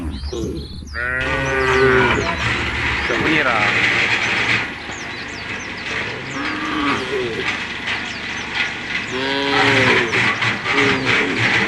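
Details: Tame cows of a herd moving toward a field at a forest's edge, one clear moo at the start and softer lowing later, under a steady broad rushing noise with bird chirps.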